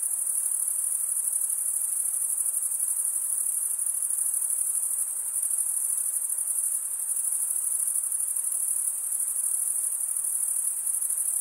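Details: Crickets sing through a summer night in the forest, their shrill high trill a constant wall of sound with gentle swells in volume, over quiet broadband hiss and no other callers.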